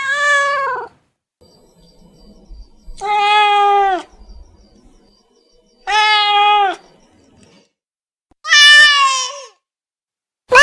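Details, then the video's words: A cat meows loudly and repeatedly, four drawn-out, slightly descending meows spaced roughly every three seconds, with quiet gaps between them. "SOUND OF CAT MEOWING"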